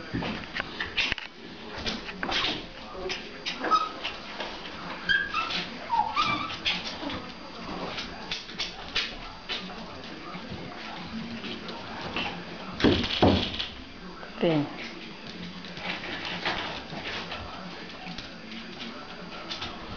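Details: Litter of Pomeranian puppies, roughly six weeks old, at play with their mother: brief thin whimpers and occasional yips between scuffling and knocking noises, a human voice faintly present in places.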